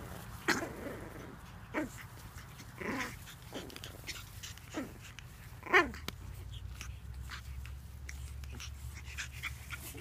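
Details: Pug puppies at play give a short whiny yelp with rising and falling harmonics near the six-second mark, plus scattered soft grunts and growly snuffles over a steady low hum.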